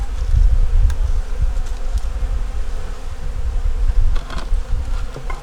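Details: Continuous low droning of a wintering honey bee nuc with its top taken off during inspection, a steady even hum under rumbling handling noise and a few faint clicks and taps.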